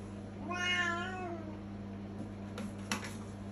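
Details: A loud 3-year-old Siamese cat in Turkey, being potty trained and pooping on the toilet, gives a single drawn-out meow that rises and then slides down.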